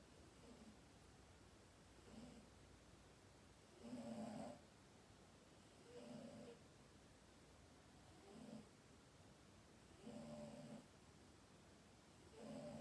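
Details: Sleeping cat snoring softly, the breaths coming as short rasping bursts about every two seconds, each with a low rumbling core and fainter hiss above, against steady quiet room hiss.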